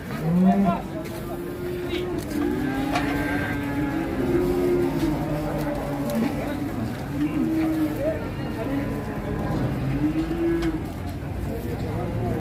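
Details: Angry cattle in Indonesia, from a 2022 compilation: long, drawn-out lowing with a wavering pitch that rises and falls across several seconds, over people talking and engine noise.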